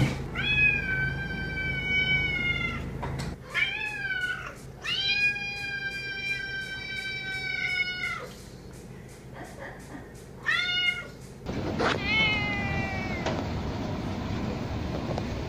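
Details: Domestic cats meowing, compiled as sounds to attract a cat, stimulate play or coax a hiding or new cat out; several drawn-out harmonic meows, some rising then falling, in separate segments with differing background hum.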